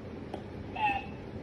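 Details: A domestic cat gives one short meow, a thin steady tone that sags slightly at its end, over a low hum of room noise.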